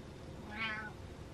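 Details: Domestic cat indoors meowing at its owner to make him get up; one short, fairly soft meow with a brief rising-falling tone over low background hum.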